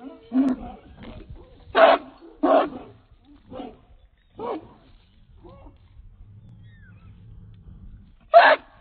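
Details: A 66-pound American Pit Bull Terrier on a chain gives deep, gruff single barks at uneven intervals.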